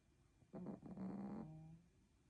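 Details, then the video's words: Spitz dog, described as sick again, giving one low, throaty, rattling snore lasting about a second, then fading breath. "Храпит💤 опять заболел"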